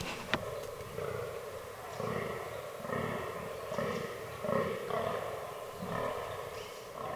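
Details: Fallow deer buck during the autumn rutting season in a forest: a series of deep, belching groans repeated roughly once a second, each short and rough, with a sharp snap near the start and quiet woodland background.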